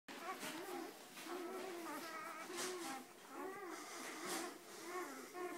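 Weimaraner puppies whine and whimper in overlapping, wavering high-pitched cries.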